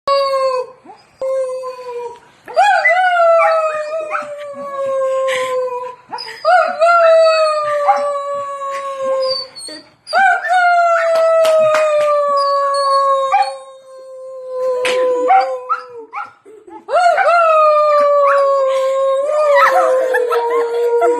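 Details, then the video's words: Dog singing indoors: long sustained howls with rich harmonics, each starting with a sharp upward yelp then gliding slowly downward, repeated in phrases of a few seconds with brief gaps. "Dog singing"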